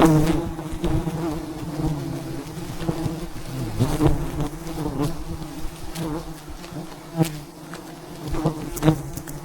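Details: Wild bees in their thousands surround a giant hive being harvested high above the ground in the mountains, producing a continuous deep droning buzz, with scattered sharp taps and thuds throughout.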